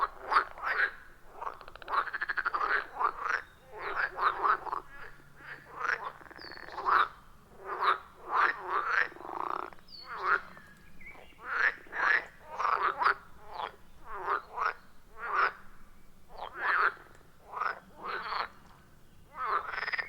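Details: Frogs calling from a quiet forest pond in the wild, recorded with an iPhone 14 Pro plus Shure MV88+; separate short croaks come in quick irregular bursts, several per second at times, with brief gaps between volleys.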